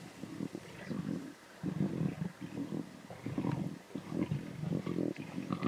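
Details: Lion cubs snarling and growling intensely at a zebra carcass in the Timbavati, low rough growls rising and falling in repeated bursts roughly every second, with short quiet gaps between.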